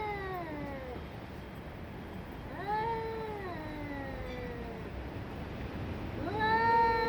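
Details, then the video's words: Cats in a fierce fight growl and yowl: harmonic cries that arch up then sag downward, repeated about every three seconds, ending with a sharp rising wail, over low steady noise. "Katzenkampf Extrem 2023 😿 Sıra Dışı Kedi Kavgası"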